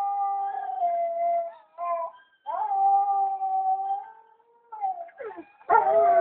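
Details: A male White German Shepherd howls in response to a clip playing nearby. Long, smooth tones rise at the start and hold steady, broken by short yips, and the clip closes with a loud, harsh outburst.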